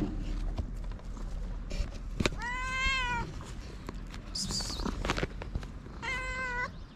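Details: Hungry homeless street cats in Morocco, two strays fed daily; a rising-then-level meow followed later by a shorter one, among clicks, rustling and a steady low outdoor hum.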